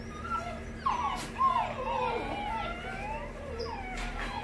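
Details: Whimpers from a male Great Pyrenees puppy born 9 April 2020, AKC registered, sire imported from Hungary, in Norco, California. Short, rising-and-falling nasal whines come in quick bursts, with a faint constant hum underneath.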